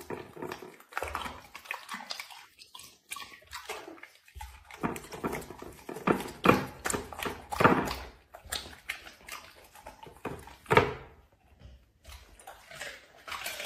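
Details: Indoor dog eating food: bursts of crisp biting and wet chewing, loud crunches clustered in the middle, then a brief pause near the end before chewing resumes.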